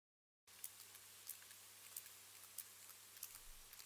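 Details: Sperm whale echolocation from several whales clicking at once, sharp dry clicks repeating steadily about every two-thirds of a second over a low hum, like crackling fire or snapping shrimp; they echolocate almost constantly, for hours.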